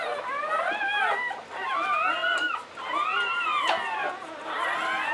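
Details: English Springer Spaniel whimpering during labour, birthing puppies in a litter of nine; three bursts of high, sliding whines with rising and falling pitch, separated by brief pauses, with a quiet voice in the background.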